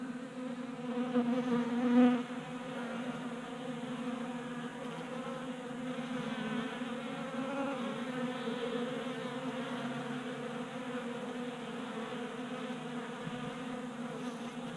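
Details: Honey bees feeding at a table-top feeder in a Colorado garage during a warm January spell, making a steady, dense droning hum of many wingbeats, with one brief louder buzz as a bee passes close.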